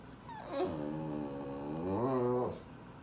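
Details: Eleven-month-old male Boston terrier, December 18, 2017, begging for more food with a long, wobbling groan-growl that holds steady and then climbs and swells before cutting off, indoors.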